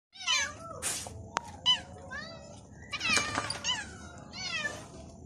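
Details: Two caged pet cats trying to get out of their cage meow repeatedly: several short, high, wavering cries that rise and fall, come in bursts about a second apart and are separated by quiet gaps.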